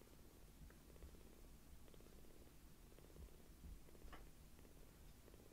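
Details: Palm-sized rescued foster kittens purring while affectionate; a soft, low, regularly pulsing rumble continues quietly throughout, with a faint higher squeak or rustle near the end.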